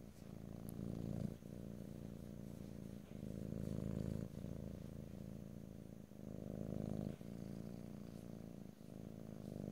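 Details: Domestic cat purring close to stereo microphones in an ear-to-ear ASMR recording with no talking; a steady low rumble swells and fades with each breath, cycles roughly every one and a half to two seconds, brief soft gaps between them.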